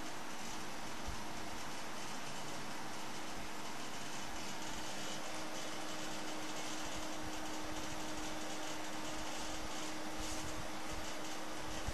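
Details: A steady mechanical hum like a fan or air conditioner drones on without change, with a constant low tone and broad hiss.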